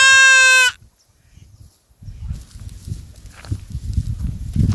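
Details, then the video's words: A single loud, buzzy goat bleat opens the recording, followed by near silence and then continuous rustling and scraping noise. "Amazing sound call goat"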